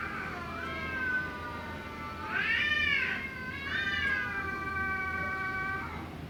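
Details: Fighting cats trading cries that grow pitiful after the quarrel: sustained, quavering caterwauls with rich harmonics, swelling to a louder arched wail midway, then holding a long wavering tone over faint background hum.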